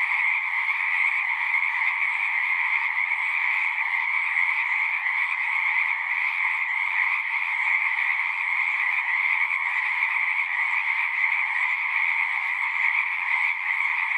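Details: Many frogs calling together at a pasture pond, captured on a Zoom recorder; an unbroken, shimmering trill chorus holds the same level from start to end, with no other sounds standing out.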